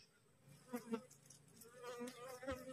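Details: Wild honey bee swarm after a colony split, resting on a cassava plant in hot midday weather, bees somewhat aggressive. Close buzzing flights sweep past in uneven surges over a steady hum.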